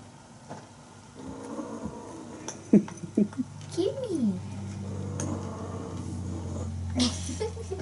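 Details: Bengal kittens from Aurora and Coco's litter romping and playing together indoors, with teaser play; a short curved, rising-then-falling meow stands out among scattered clicks, thumps and brief yelps over a low steady hum.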